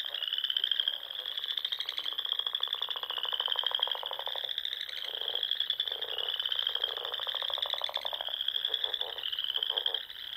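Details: Dusk frog chorus in spring on the dune lakes of Nebraska's Sandhills; layered high trills pulse in waves every couple of seconds, with loud, rapid lower croaking bursts between them.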